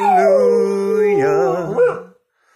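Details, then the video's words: Pet dog singing along with its owner, a long howl sliding down then held steady, mixed with a person's lower sustained singing voice, ending in wavering, broken notes. "Adorable Dog Sings along With His Human"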